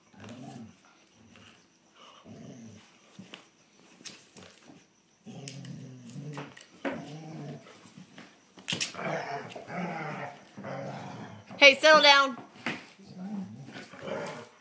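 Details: German Shorthaired Pointers Copper, the pesky younger brother, and older Zoie scuffling indoors: soft intermittent growls building to louder grumbling, then one sharp high yelp midway, followed by more low growls.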